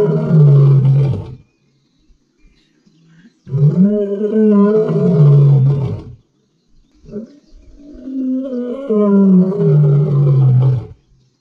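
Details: A black-maned lion in Central Kalahari Game Reserve, Botswana, gives long, deep, rumbling roars, each swelling and then falling away over several seconds.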